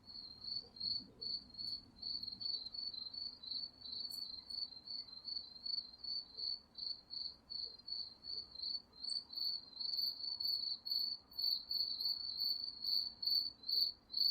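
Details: Crickets chirp steadily at night in the woods in short, high pulsed bursts, several repeating each second.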